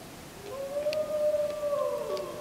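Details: Wolf howl under a full moon, 31 July 2015, recorded with a JVC Everio GZ EX215 HD; one long, steady, pure mid-pitched note swelling in after half a second and sliding slightly down at the end, a fainter second voice overlapping.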